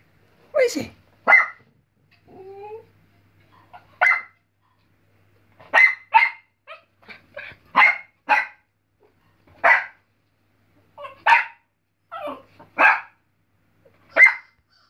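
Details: A West Highland White Terrier puppy indoors barks at a squirrel on TV: sharp, high yappy barks in irregular bursts, about a dozen across the stretch, with a short whine early on and a person's voice briefly asking about the squirrel.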